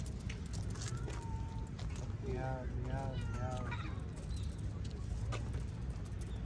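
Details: Street cats, a group fed cooked chicken outdoors and then playing with a cat toy; a short run of three or four close, harmonic meows sounds over a steady low rumble and human voices.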